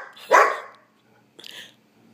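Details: Pet puppy dog at home, insistently demanding its dinner: one sharp, loud bark followed after about a second by a fainter, shorter yap, with a person's voice just before.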